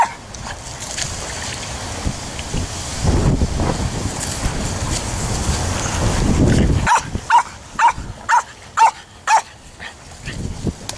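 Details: Jack Russell Terrier Luna at play on the beach and canoe along Sardinia's Coghinas river: about seven seconds of wind and water rumble, then six crisp, high barks in a quick run, roughly one every half second.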